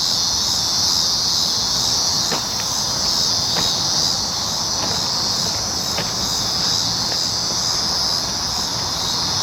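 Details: Cicadas on July 19, 2019 keep up a continuous, piercing buzz. Short sharp ticks are scattered over the drone every second or so.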